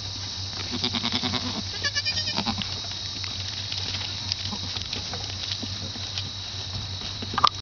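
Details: Young pygmy goat kids (Capra hircus) bleat in short, wavering, nasal cries over a steady background hiss and hum, recorded in 2007.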